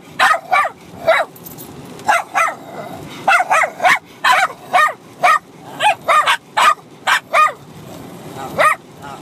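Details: Bichon Frise puppy, six months old, and an adult dog barking at each other during rough play; rapid high-pitched barks in pairs and clusters, nearly continuous, with short gaps.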